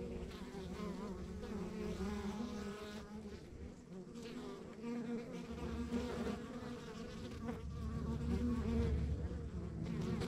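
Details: Honey bees at a rural backyard beehive keep up a continuous layered buzz that grows louder toward the end, over a low steady rumble.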